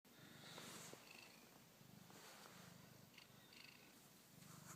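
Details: A male domestic cat purrs loudly and steadily, a low rhythmic rumble very close to the phone camera as he keeps putting his face up to it.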